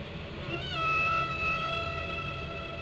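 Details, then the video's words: Whale song from Glacier Bay, Alaska: a long, clear, level whistled tone with faint higher overtones, swelling near the middle and then easing off, over a low underwater rumble. "Whale Song"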